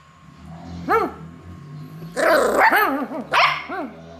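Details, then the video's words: Happy beagle puppy answering play calls with arching, wavering howl-barks, one short yelp followed by a noisy burst of two to three rolling barks and a final bark, low hum underneath. "A Real Happy Beagle Pups named Dory Joyfully Reacts to Play Calls"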